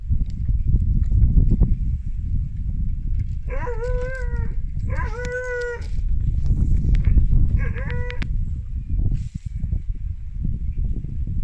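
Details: In Wales, a young Siberian Husky calls his big sister to play with a string of three wavering woos, each a rich harmonic yodel lasting under a second, the last one shorter, over constant deep wind rumble and outdoor background noise.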